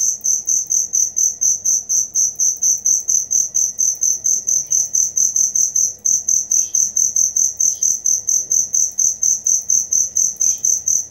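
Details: Cricket chirping loudly and steadily, recorded as training material for songbirds: high, pure pulsed chirps about twice a second, continuing without pause, with faint soft bird calls in the background.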